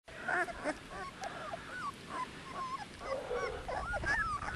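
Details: Dogo Canario puppies, 18 days old, from a litter out of Annie v.d. Pretorianern and Mirko De Atlantida Can; scattered soft whimpers and squeaks from several pups overlap against a hissy background.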